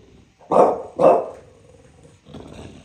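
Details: A bulldog in New York City gives two loud, gruff barks about half a second apart.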